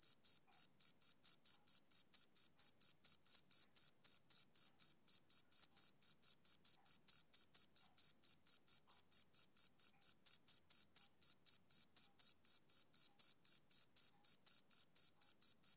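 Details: Rhythmic chirping of a male cricket, a summer-evening sound. Even, rapid high-pitched pulses repeat about four times per second without pause. Nothing else is audible.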